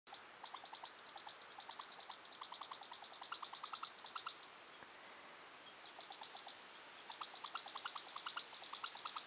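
A red squirrel gives a long, rapid, harsh chatter of dry, buzzy pulses to defend its territory.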